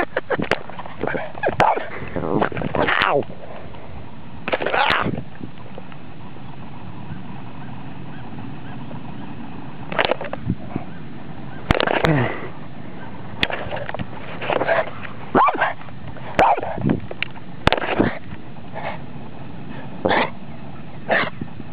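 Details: A Boston Terrier barking at electronics gives short, sharp, slightly honking barks in irregular bursts over a low steady hum.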